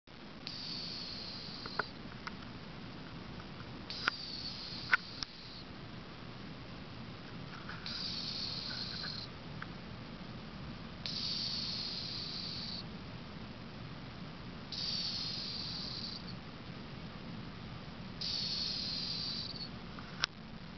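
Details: Cleo, an 18-year-old female cat, snoring in her sleep: thin, high whistling breaths of about a second and a half each, recurring roughly every three to four seconds, six in all, with a few soft clicks between.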